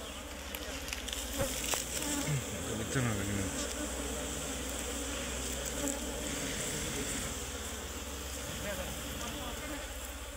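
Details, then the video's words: Loud, dense humming of many Asian honey bees, called Serena bees locally, at a tree-hollow comb as honey is harvested; a steady roaring buzz with scattered clicks and a man speaking briefly early on. "গাছের ভিতর মৌমাছির চাক পড়ছে কাটে কিভাবে দেখেন এই মৌমাছির নাম হচ্ছে সেরেনা মৌমাছি"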